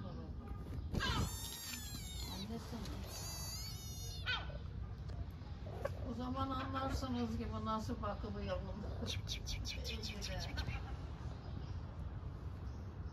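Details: Hungry stray kitten in Istanbul, Turkey, calling its mother with bursts of rapid, high, quavering meows at the start and again near the end. A woman's Turkish speech fills the middle, over low street noise.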